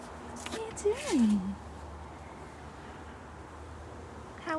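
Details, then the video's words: Kenai, a male Siberian Husky, cries for Nala, his Sheprador mate six days into her heat cycle, who wants a break from him: one sliding whine rising then falling steeply, with a later harmonic yelp and faint household noise. "Husky Crying For His Sheprador Wife"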